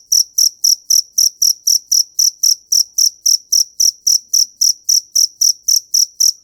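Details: Cricket chirping in a fighting-cricket context, a steady series of high, clean pulses about four per second, each short trill bright and even, with no other sounds behind it.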